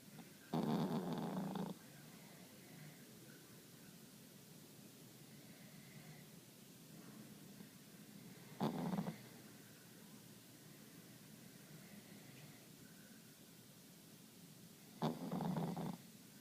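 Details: Sleeping pet dog snoring: three short rasping snorts spaced about seven seconds apart, against a quiet indoor hiss.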